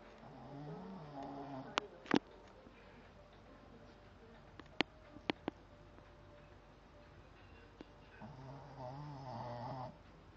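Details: A dog snoring: two slow, rasping breaths with a low buzzy rumble, one at the start and one near the end, separated by quiet with a few sharp clicks and taps.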